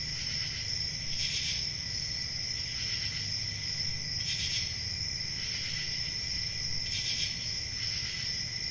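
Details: Summer-night forest crickets keep up a constant shrill ringing tone, broken by brighter pulsed chirps roughly every three seconds, with a faint low hum beneath.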